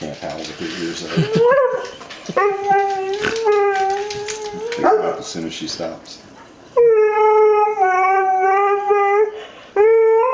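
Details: Female Xoloitzcuintli, a Mexican hairless dog, howling for her dinner while wanting chicken; long steady wavering howls with rich harmonics, several in a row, over a woman talking to her and faint music.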